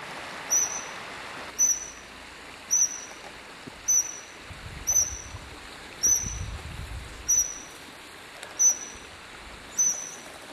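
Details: A Eurasian otter, one of three on a small river on the way to Monfragüe National Park, Spain, around 10 a.m., gives short, shrill, high whistles about once a second, a call to a second otter.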